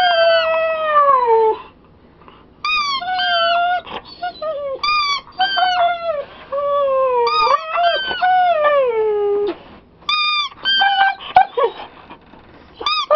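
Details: Pet Siberian Husky cries while a squeaky toy is squeezed, producing a long run of tonal whines that slide downward. Some are drawn out, others clipped and yelping, with short pauses between.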